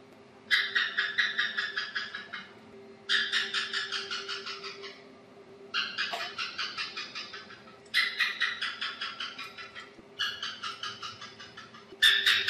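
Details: Asian house gecko calling: loud bursts of rapid, sharp chirps, about ten per burst and slowing and fading toward the end, each burst lasting about two seconds and repeated every two to three seconds, over a faint low hum.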